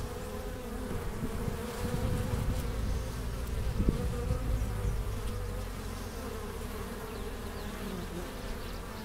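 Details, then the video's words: Honey bees at a hive entrance in April 2015, bringing in pollen and nectar. A steady low droning hum of many wings fills the recording, with a brief louder swell near the fourth second as a bee passes close. "Bees at the Hive Entrance"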